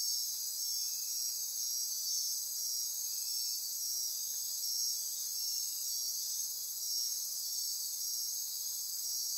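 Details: A dense midnight insect chorus in Costa Rican rainforest near Corcovado National Park on the Osa Peninsula: high, continuous shrill trilling and buzzing in several overlapping bands.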